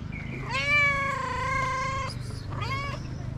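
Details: ['Tabby cat living on the street in Morocco meowing: one long, level, strongly harmonic meow of about one and a half seconds, then a brief second meow, with low traffic-like hum beneath.']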